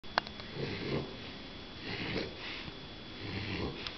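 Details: Max, a Mini Bulldog puppy, asleep and snoring indoors in a small room: soft, raspy breaths come in gentle bursts about once a second, with a faint sniff near the start and a quiet steady hum beneath.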